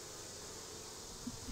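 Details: Honey bees at an opened hive during an inspection for brood, honey and a sign of the queen, beside grape vines; a dense, steady droning hum fills the clip, with a faint low thump near the end.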